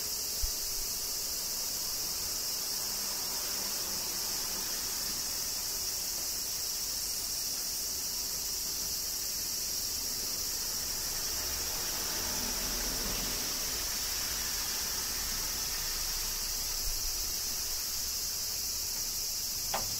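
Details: Summer cicada chorus in rainy Kyoto, Japan, a constant shrill droning hiss that never pauses, layered over faint low rumbling and a few small taps.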